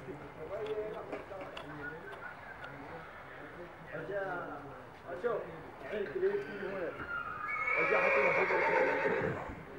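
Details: Barb horse ahead of a breeding contest in Meknes, Morocco: a loud, broad whinny closes the recording, shaky and slowly falling over about two seconds, after a stretch of men talking and hoof sounds.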